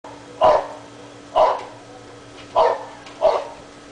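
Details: Domestic dog left alone outside all day while its owner is away, barking at holes in the ground; four sharp barks spaced about a second apart, with a steady low hum underneath.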